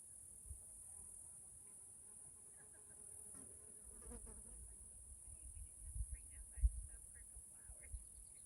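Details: A constant shrill drone from cicadas in a Pacific Northwest forest, Washington State, holds without pause. Scattered faint chirps and clicks appear near the end over low rumbling background noise.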